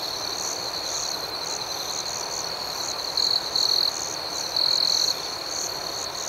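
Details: Crickets at night: a steady high-pitched ringing chorus with faint pulsing chirps above it, and two louder, brighter trilled bursts about three seconds in, each lasting under a second.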